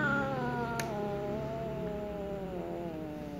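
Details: Jealous black female cat going after a little ginger cat at play, heard as one sustained low growling yowl that slides gradually downward, with a single sharp click partway through.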